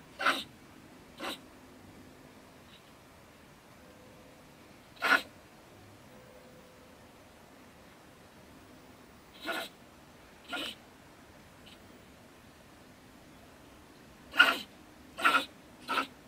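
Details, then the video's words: Night-time outburst from a female beech marten (stone marten) that lives in a wood stack next to a German shed. Brief raspy spits come irregularly, with long pauses, then three in a quick cluster near the end. "Our Ranting Neighbour Mrs. Stone Marten - Frau Steinmarder flippt aus"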